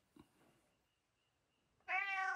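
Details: Housecat during its evening meal indoors: a faint tap, near silence, then a sudden loud meow, bright and richly harmonic, sustained for about half a second at the end.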